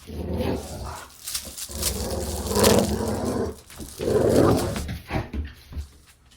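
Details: Dog play growling in a small room: uneven bursts of rough, low growling that swell and fade, mixed with scuffling noises between them.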